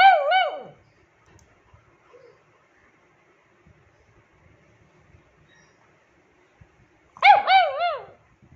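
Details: Ju, a rescued 9-year-old female pug demanding attention, gives two brief clusters of rapid, arching yelps separated by about six seconds of near silence.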